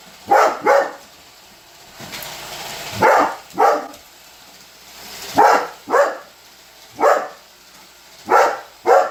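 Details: Holder, a Weimaraner, barks at a Roomba vacuum cleaner in paired barks, double yaps repeating every two to three seconds over a low running-machine hum.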